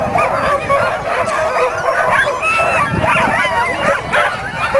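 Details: At the 2007 Caribou Carnival dog races, a pack of dogs barks and yelps nonstop, high rising squeals mixed into the din, with faint people talking.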